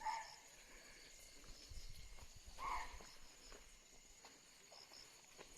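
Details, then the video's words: A barking deer calls very close by at dusk in the Tadoba Tiger Reserve area, giving two short, sharp, dog-like barks a few seconds apart, apparently sensing a leopard nearby. "एकदम नजदीक से बार्किंग डियर बोल रहा है"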